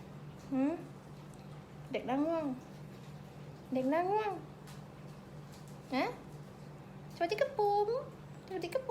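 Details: Pembroke Welsh Corgi puppies, a group at a kennel farm in Om Noi, Samut Sakhon, Thailand, give high, arched whining squeals that rise then fall, about six separate cries over nine seconds, over a steady low electrical hum indoors.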